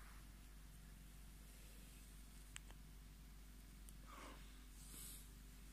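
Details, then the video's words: Tommy, a Scottish Fold, purring as he asks to be stroked; a faint, even low throb continues under brief clicks and soft brushing noises from handling. "Scottish Fold Tommy fördert seine Streicheleinheiten ein"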